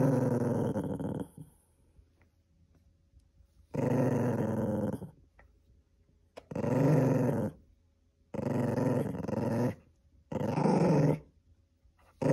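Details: Indoors, a cream poodle guards something from being taken with loud, rumbling growls in five sustained bursts of about one to one and a half seconds each, separated by short quiet gaps.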